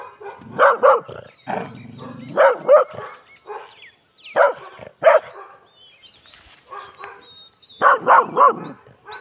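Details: Pet Labrador Retriever in an aggressive mood, giving loud, harsh barks in pairs and short clusters separated by quiet gaps, with a low rumbling growl near two seconds.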